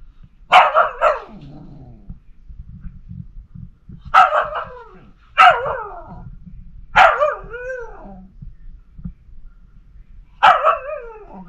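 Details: Female Pomsky puppy Liberty, indoors, howling and 'talking' to her sister, a cat named Pima; she howls all day about everything. Five short, yowling, harmonic bursts spaced unevenly over the recording, several bending down in pitch at the end.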